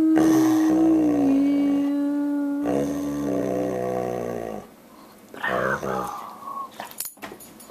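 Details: Dobermann singing along at the end of a Happy Birthday song. A long held human note is followed by the dog's high howl, which slides downward and then levels off, with scattered noises after it.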